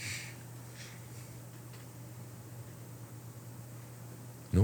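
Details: A steady low hum with faint hiss and rustle, ending in an abrupt loud thump.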